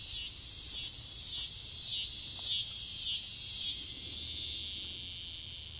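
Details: Noisy cicadas landing in front-yard trees late on a summer evening before dusk, an intense high-pitched buzz swelling and dipping in regular pulses, fading slightly toward the end.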